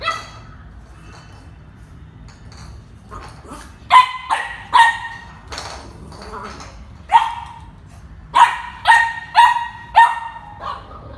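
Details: Excited domestic dog barking and jumping as the owner picks up the car keys for a drive: after a quiet start, loud clear barks come in irregular clusters, some doubled, with a low background hum.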